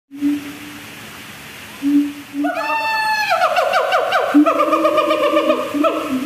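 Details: A siamang at Safari Resort, Puncak, Bogor, gives a few low hoots, then breaks into a fast run of loud, wavering, rising barks.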